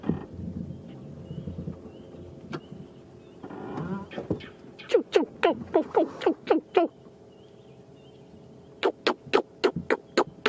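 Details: During a sunrise safari drive on 9 May 2015, after a man speaks, monkeys give sharp, harsh barks in quick bursts. It is an "orange alert" alarm call, not yet full red alert.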